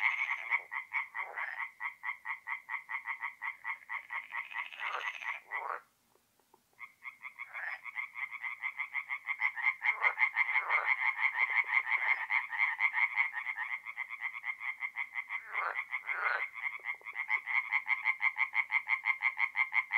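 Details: Tree frogs singing at night in a north-east Italian forest pond in mid-April: rhythmic croaking pulses, a brief full silence near six seconds, then the chorus resumes, with loud individual callers rising near ten and seventeen seconds.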